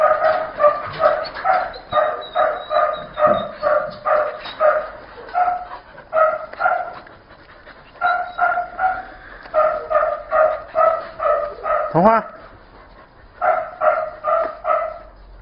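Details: Purebred, pedigreed blue merle Border Collie at a breeding kennel in Vietnam, barking in a steady run of short, sharp, tonal barks about two per second, with brief pauses near the middle.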